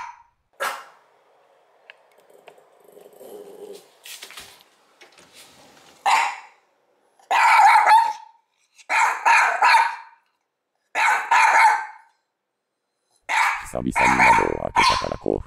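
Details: Mameshiba, one year old, barking furiously out of an opened window at nobody, acting as a guard dog; quiet rustling first, then a run of sharp loud barks roughly every second, some doubled, with a growly final burst.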